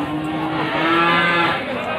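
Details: Goat at Pasar Wage livestock market in Panggul, Trenggalek, Indonesia, 18 May 2020, among male goats sold for Qurban; a single level, nasal bleat sustains about a second through background crowd noise and talking.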